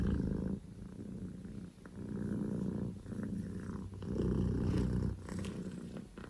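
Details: Scottish Fold kitten named Poko J, a male born 15 October 2019, purring loudly at full engine: a low rumbling purr in long phases broken by short breathing pauses about every one to two seconds.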